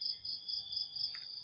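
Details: Crickets chirping in the morning, a steady high shrill trill pulsing in rapid even beats throughout, with a faint brief extra chirp near the end and a low rumble of background noise.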